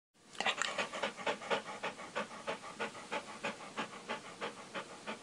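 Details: Dog breathing: quick rhythmic panting, breathy puffs repeating about three times a second, steady and even throughout, with no other sounds.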